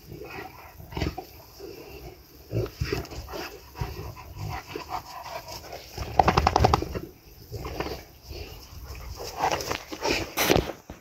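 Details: Boerboels, a pack of five dogs including adult females and young ones, playing and rolling in garden grass in the afternoon sun; scattered short growly and barking bursts, a louder cluster around the middle, with rustling between.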